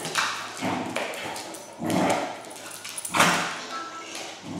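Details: Indoors, a Pembroke Welsh Corgi called Noah barks at a Sphero BB-8 toy robot he is meeting for the first time: a few sharp barks, roughly one a second, a faint ping heard between them.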